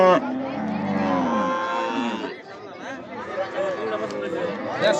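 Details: Cattle at a busy market where animals are bought and sold ahead of Eid al-Adha, Gazipur, Bangladesh. One long, deep, wavering moo of about two seconds, followed by people talking and faint music.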